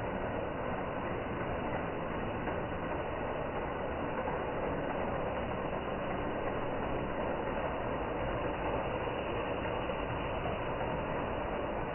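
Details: A robot vacuum cleaner gives off a steady, even mechanical whir throughout, with no other sounds.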